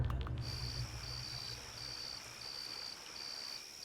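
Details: Crickets, mostly males, chirp in high, steady pulsed trills repeated in regular bursts with brief gaps. They make the sound by rubbing their forewing edges together to woo females and scare off other males, and the chirps reputedly indicate outdoor temperature.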